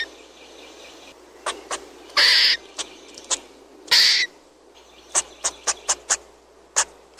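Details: Squirrel giving sharp, broadband clicking calls, some single and some in quick pairs, with two longer harsh rasping bursts in between, over a quiet background.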